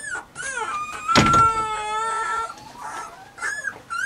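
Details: Weimaraner puppies named Bailey, Hailey and Jenny whine in long, steady, high tones, one loud sustained whine mid-clip with a burst of scraping noise, then short rising whimpers.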